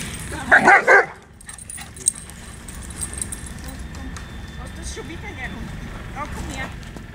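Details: Huskies and Malamutes playing during morning exercise, a group of girls having fun: a short harmonic bark-like yelp bursts out near the start, followed by quieter rustling, scattered faint yips and a steady low background rumble.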